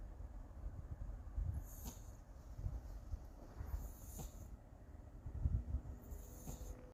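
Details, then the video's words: Siamese cat asleep, breathing in gentle snores: airy hissing puffs over a faint low rumble, spaced roughly two and a half seconds apart, with steady low-pitched room noise underneath. "SIAMESE CAT : SNORING CAT"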